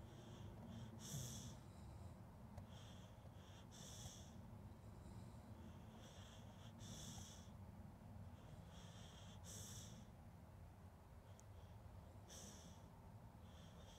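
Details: Dog snoring in sleep, captured with a Zoom H2N: a regular run of breathy, snorting exhalations every two to three seconds, each with a hissing wheeze, above a continuous low, rumbling breath.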